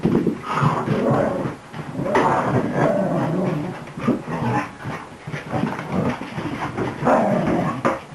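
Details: A newly arrived beagle mix puppy romping wildly in play: low rumbling growls and soft whiny grumbles in uneven bursts, rising and fading, with a short lull near the second and a half mark.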